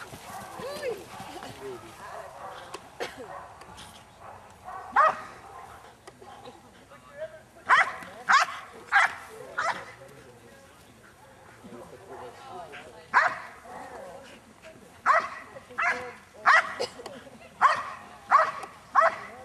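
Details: Female Belgian Malinois, aged seven and a half, guarding an object against a decoy at the 2009 NARA Championships: bursts of sharp barks in irregular runs, some quiet stretches, with speech and crowd noise in the background.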